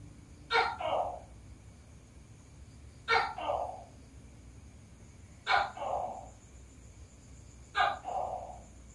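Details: Asian tokay gecko calling while laying eggs: four loud two-part calls about every two and a half seconds, each a sharp click-like onset followed by a lower, drawn-out note, over steady background hiss.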